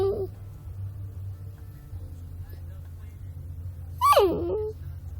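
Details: Puppy crying: a faint squeak at the start, then one sharp, rising and falling whine near the end, over a constant low background hum.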